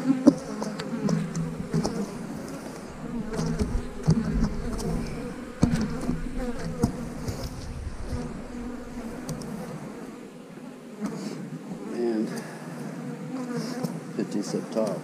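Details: Dense colony drone of honey bees around an 8-frame hive, a continuous low buzzing hum that swells and thins over fifteen seconds, with scattered thumps and handling noises.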